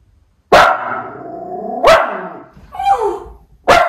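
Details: Two white Miniature Schnauzer brothers in Aroostook County, Maine, August 27, 2021, reacting as a different driver delivers a package: loud sharp barks, each trailing into a drawn-out whining tone, about three barks in four seconds.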